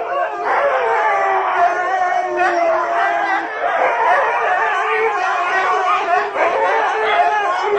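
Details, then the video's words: Husky pack joining in with howls while people sing close by, many overlapping wavering howls rising and falling, dense chorus with yips mixed in throughout. "Никогда не пойте рядом со стаей хаски"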